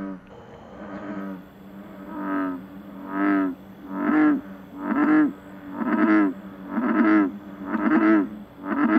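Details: An American bullfrog, an invasive species spreading around Rome, Italy, calls from a swamp to attract a female: deep, resonant croaks, each under a second long and repeated about once a second.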